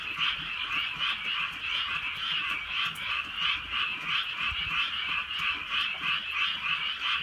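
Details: Countryside frogs at night in light rain, their massed croaking forming a continuous, throbbing chorus with quick rhythmic pulses, a few soft taps of rain underneath.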